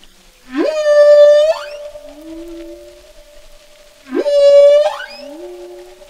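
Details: A lone humpback whale sings two loud, clear phrases. Each begins with a quick upward swoop into a long, bright, sustained tone, followed by a softer, lower rising glide, with near silence between.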